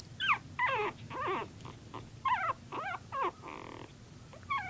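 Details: Puppies at play letting out sharp, high yelps and squeaky whines in separate bursts, each call sweeping down in pitch, with quiet gaps between them.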